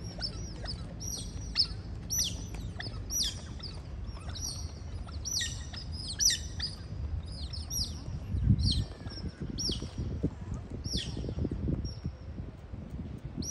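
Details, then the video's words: Sea otters visiting Keppel Harbour in Singapore: a family chorus of thin, high, sharp chirps in quick clusters, repeated through the whole stretch over a low, steady rumble of harbour noise. "Singapore Sea Otters Visiting Keppel Harbour"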